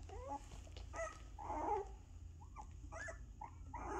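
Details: Two-week-old puppies, eyes just opening and starting to walk a little, give soft, high, squeaky whimpers in short separate bursts, with a steady low hum underneath.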